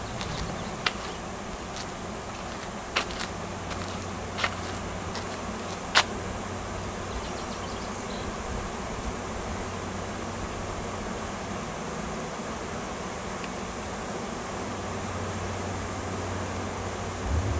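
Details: Wild honey bee swarm around a tree on a Washington farm, a new queen and workers seeking a new home; continuous buzzing hum with a low droning tone, occasional sharp clicks and taps.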